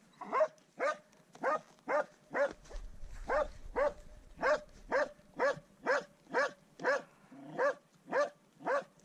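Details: Dog Swix bays at a wild boar for the first time, giving a steady run of loud, evenly spaced barks, roughly two each second, with a brief low rumble partway through.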